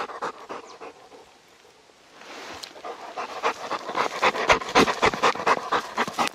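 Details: Heavy late-March snow in Gangwon Province: Labrador Retriever Deokbae, out on a mountain walk, is quiet briefly, then pants hard and fast, nearly four breaths a second, growing louder.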